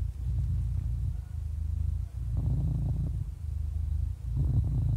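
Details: Low, rumbling purr from a contented 11-year-old cat, a continuous deep vibration with a softer dip near the middle and breathier surges as each breath cycle turns over.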